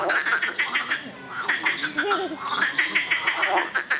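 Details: Loud frogs in a busy chorus, quick repeated croaking notes in short series, several animals overlapping, with a faint lower wavering voice-like sound in the middle.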